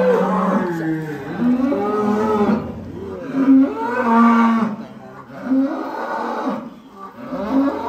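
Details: Giant cow unloaded from a truck at Bintang Tani Farm, lowing loudly in a series of deep, wavering moos, several overlapping and rising then falling, with faint voices behind.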